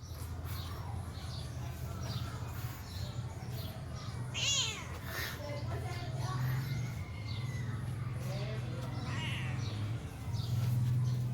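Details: A pet cat playing with her owner gives a short, high, wavering meow midway through, with a fainter meow later, over a steady low hum and rustling household noise.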